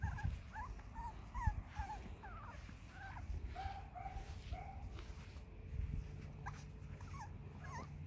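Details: Seven-week-old Cavalier King Charles Spaniel puppies from one litter, uttering many short, high, squeaky whines and yips that rise and bend in pitch, overlapping irregularly over a constant low rumbling background.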